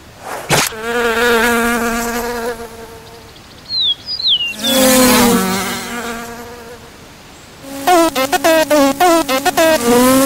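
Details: Horse-fly buzz heard in three bursts: a steady droning hum with rich overtones, a brief pause with faint high chirps, a second wavering drone, then a choppy stuttering buzz broken into rapid pulses near the end.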